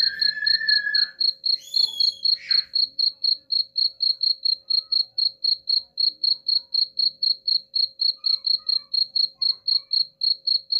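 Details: Rapid, regular high-pitched cricket chirps, about four per second, used as a sound to repel rats; a few brief whistled and sweeping notes sound over the opening two seconds.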